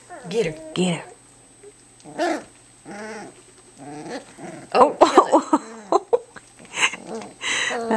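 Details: Two-week-old Entlebucher Mountain Dog puppies indoors, playing for the first time: short squeaky growls and yips in bursts, mixed with a woman talking and a steady electrical hum.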